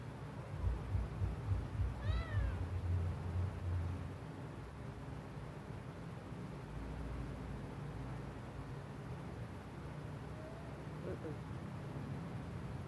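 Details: Very sick kitten giving a single brief, rising-then-falling meow around two seconds in, then a faint short call near the end, over a steady low rumble and hum.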